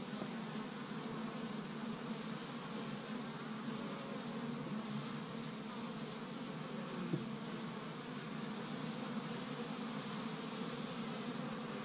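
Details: Spring activity at an established honey bee hive in Michigan on the first warm day, bees collecting tree-bud pollen; an unbroken deep buzzing drone from the crowd of bees, with one brief click about halfway through.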